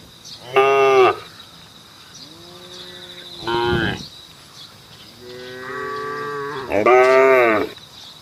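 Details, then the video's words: Cows on the road calling the herd, lowing repeatedly: four separate moos, some short and loud, others drawn out and softer, spaced across several seconds with quiet gaps between. "SAPI DI JALAN SUARA SAPI BUNYI MANGGIL KAWANAN"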